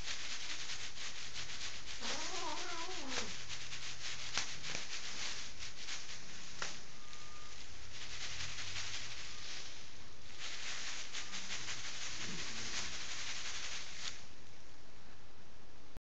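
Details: Angry female house cat in Kitchener, Ontario, Canada, refusing to be moved off her owners' bed and wary of strangers; a wavering, drawn-out yowl rises and falls early on, a shorter growling cry comes later, over heavy rustling and handling noise.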